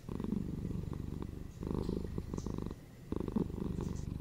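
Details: Indoor house cat purring, a deep vibrating drone in rhythmic cycles of inhale and exhale, roughly every one and a half seconds, with a short hush near the end before the rumble resumes.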